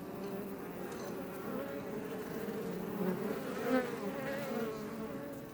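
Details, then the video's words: Honey bees of the Iberian subspecies flying outside a Langstroth box hive near Roquetes, south Tarragona, Catalonia, Spain; continuous layered buzz of many bees, with a louder bee passing close near the middle. "Bees Healing Sound Effect HD - Up Close"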